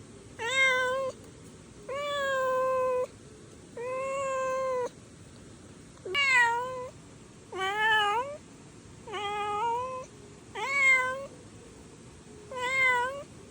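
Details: Stray kitten crying in a long run of nine meows, the first few drawn out and level, later ones shorter and rising-falling, spaced about a second and a half apart.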